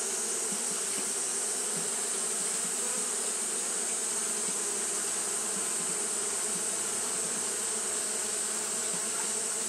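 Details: Japanese honey bees keep up fanning behaviour on a hot day, giving a continuous low droning buzz with small wavering swells, layered over a constant high-pitched hiss.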